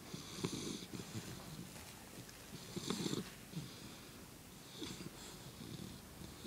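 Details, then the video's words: Sleeping English Bulldog lying on its back, paws up, snoring in rough, snorting bursts roughly every one to two seconds, a low rattle topped with breathy hiss, quiet room. "Bulldog :une patate qui ronfle"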